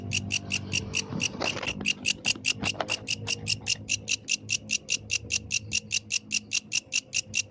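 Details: Yellow grasshopper at night: a long run of sharp, high, evenly repeated chirp pulses, with a few dull knocks and handling sounds early on.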